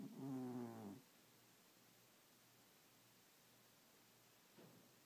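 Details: Sleeping cat snoring at night: a single short, rough, low-pitched snore breath at the start, cut off after about a second, then near silence with one faint soft breath later.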